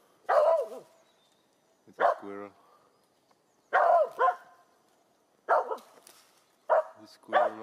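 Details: Finnish Spitz dog outdoors barking at a squirrel overhead: loud, harmonic barks, singly or in pairs, every one to two seconds, with a person's voice nearby.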